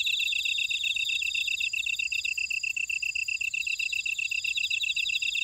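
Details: Field insects calling among buckwheat at Ora-dong, Jeju City, Jeju Island, South Korea: crisp, metronome-like chirps repeated rapidly, overlaid by a fluttering trill and a continuous high ringing.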